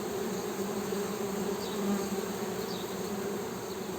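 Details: Western honey bee hum, a smooth unbroken buzz at a steady low pitch with a clear upper overtone, softly swelling in the middle, faint high chirps in the distance.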